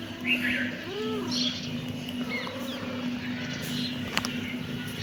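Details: Kitten meowing, with one clear arched meow near the start and a fainter one later, over a steady low electrical hum and soft background noise.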